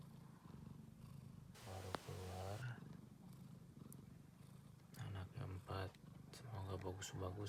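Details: Persian cat giving birth in stages, two kittens first and two more a few minutes later: low, steady pulsing purr rumble throughout, with a human voice and brief higher sounds over it.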